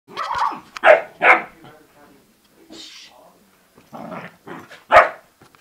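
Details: Bernese mountain dog puppy and Yorkshire terrier in a play fight, giving short sharp barks and growly yaps in irregular bursts, with a person speaking briefly afterward.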